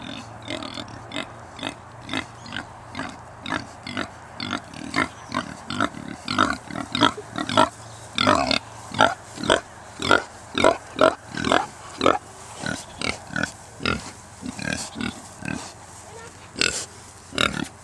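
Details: Newborn Kunekune piglets on a holiday farm estate: a steady run of short, rough grunts and squeaks, roughly two or three a second, rising and falling in loudness over about eighteen seconds.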